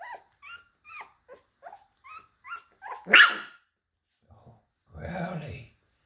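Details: Labradoodle puppies indoors: a run of short, high, whimpering yelps repeated about twice a second, then one louder sharp yelp, followed after a pause by a low, rough, growl-like sound.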